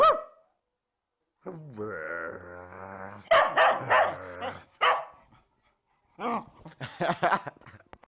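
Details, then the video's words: Bedlington Terrier, a year old, mixes a long moaning whine with bursts of rough barking and a few short yips, with a quiet gap midway. "Bedlington Terrier Barking"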